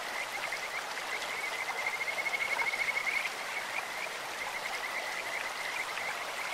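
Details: A high, rapid pulsed trill from a Kajika frog in a clear stream lasts close to two seconds, with a few fainter notes after it, against a continuous wash of flowing water.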